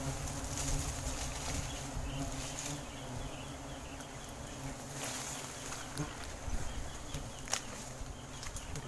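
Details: Wild giant honey bees (Apis dorsata) in Sumatran forest during honeycomb harvesting and colony evacuation; a dense, steady droning hum with low layered tones throughout, broken by scattered clicks and crackling handling noises.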